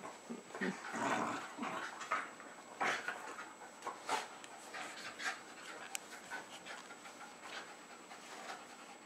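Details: Two young Jack Russell Terriers, Jasper and Jaclyn, about three years old, inside a house in Lenexa, Kansas, February 2011; airy panting puffs, louder near the start then steady and soft, a little household rustle.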